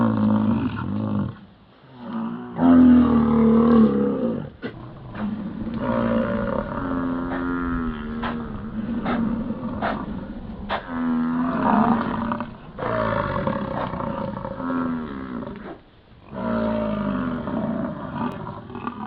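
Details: Yellowstone American bison in the rut, giving long, low, growling roars that run almost without a break, rising and falling in strength, with brief silent gaps.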